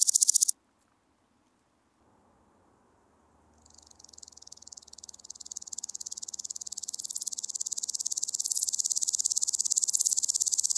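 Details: Woodland grasshopper (Omocestus rufipes), Gaisberg, Austria, 15 September 2023: a burst of song cuts off into quiet with faint low background rumble, then a new phrase of high ticking pulses begins softly and swells steadily into a loud buzzing crescendo.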